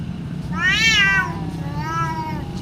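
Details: Cat in a fierce fight, a rising then falling wailing cry lasting under a second, then a softer, flatter drawn-out moan, over a constant low hum.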